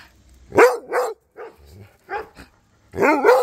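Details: Cody, a Rhodesian Ridgeback, chatting with Duchess and neighbour dogs: several short harmonic barks and yelps, a loud pair opening and a strong wavering bark closing, quieter yips between.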